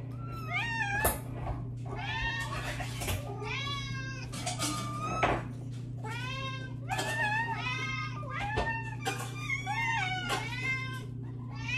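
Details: Several hungry domestic cats meowing while anticipating their meal indoors; overlapping rising-and-falling meows, some long and wavering, follow one another almost continuously, with a steady low hum underneath.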